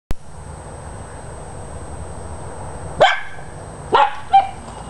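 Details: Dachshunds chasing a squirrel: after a few seconds of steady background hiss, three sharp, loud barks burst out, one and then a quick pair close together near the end.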